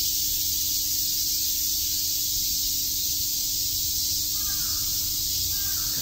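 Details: On a summer day at Shakujii Park in Tokyo, cicadas produce an unbroken high-pitched hiss, and a couple of faint, harsh, lower calls enter in the final seconds.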